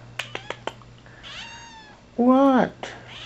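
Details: Penny, a young rescue cat, almost pure Bombay, tending her squeaky toy babies at home; a few clicks, a thin rising mew, then one loud drawn-out wavering meow before a woman's voice resumes.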